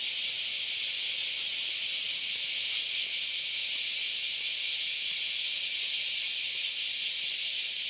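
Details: Very many cicadas on the Philosophy Path in Kyoto, Japan, on an August Sunday morning: dense, unbroken high hissing chorus, steady in loudness throughout.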